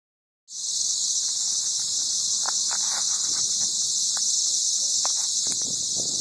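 A cicada's loud, steady electric buzz, a continuous high hiss without pause.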